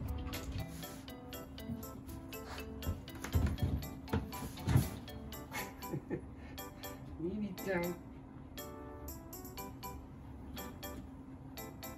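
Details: Indoor talking over soft background music, with light clinking of glass or dishes; no animal voice stands out.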